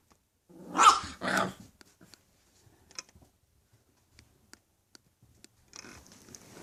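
English Bulldog puppies give two short, rough barks with a growling edge, then faint scuffling indoors.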